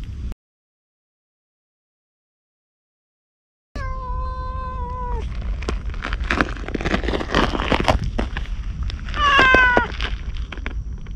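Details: Stray ginger tabby cat approaching a man as if asking for protection; one long, steady meow, then a brief higher meow a few seconds later, over low outdoor rumble and scattered clicks and rustling.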